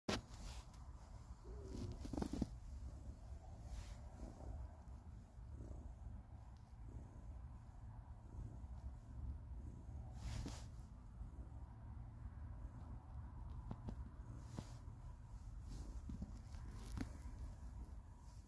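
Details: Pet cat purring on her owner's lap while being petted, seeming to encourage more petting before growing over-excited and biting; a steady low rumbling purr runs throughout, with soft rustling and handling clicks.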